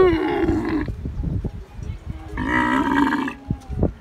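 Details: A camel giving two long, deep groaning bellows with a harsh, rasping edge, separated by a pause filled with scattered knocks and clatter.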